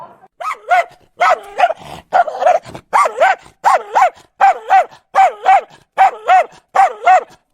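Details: Dog giving paired barks with a yelping, rising-and-falling tone, the pairs repeated roughly every half second to second in a regular rhythm.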